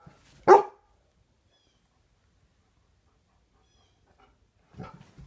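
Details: Indoors in the morning, a playful 10-year-old Golden Retriever lets out a single sharp bark, followed by a long quiet stretch and some soft, faint rustling and huffing sounds near the end.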